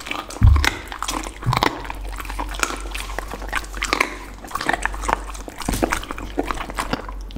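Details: Dog, tagged as a pit bull, eating a lunch of raw chicken, duck and cauliflower indoors in a small room: dense wet crunching and gnawing clicks throughout, with sharp bites near the start and steady chomping after.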